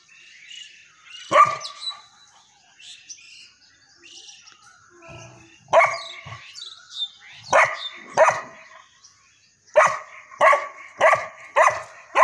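A St. Bernard puppy gives sharp, high yappy barks, singly at first, then in a quick run.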